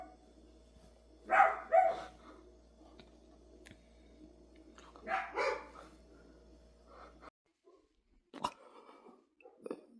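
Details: Indoor dog barks, two doubled barks about four seconds apart, then quieter scattered yips and clicks after a brief drop in the background hum.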